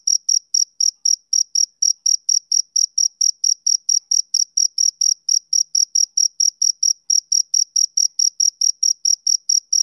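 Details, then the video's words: Male cricket chirping on a summer evening: a steady run of short, high, pure chirps, about five each second, evenly repeated with no other sounds. "Cricket Chirping Sound Effect"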